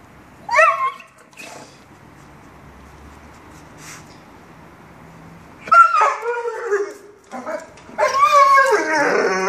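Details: Angel, a Dogo Argentino, whimpering and yelping: a short high whine with a falling tail, a long quiet pause, then bursts of bending, wavering whines, the last one drawn out and strained.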